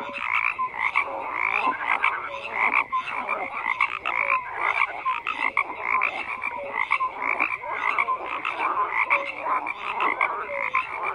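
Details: Frogs croak en masse in a bright, buzzy wall of sound, sharp repeated pulses and occasional short tones layered without pause.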